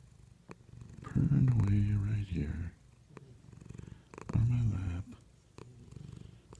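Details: A domestic cat lying on its owner's lap purrs with a low, steady rumble while a person talks softly over it; a dog snores in a chair nearby. Finding: cat.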